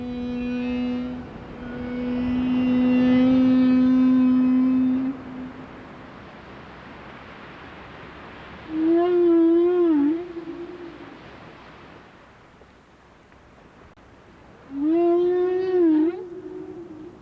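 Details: Whales in Alaska, sighted close by: a long, steady harmonic moan lasting about five seconds, then two shorter wavering, warbling calls roughly six seconds apart, with faint hiss between them.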